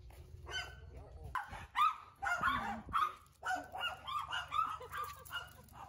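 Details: Pet Siberian Huskies, Candy with Cookie, Bearry and Happy, walking in chilly wind near home in Ubon Ratchathani, Thailand. A rapid run of short, honking barks and yips, about two a second, with a low rumble of wind and occasional speech.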